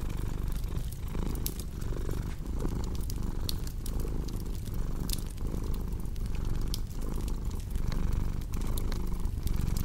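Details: Domestic cat purring steadily, a low continuous rumble that swells and dips with each breath roughly every second, layered over the sharp pops and crackles of a cozy fireplace, mixed as a relaxing sleep soundscape.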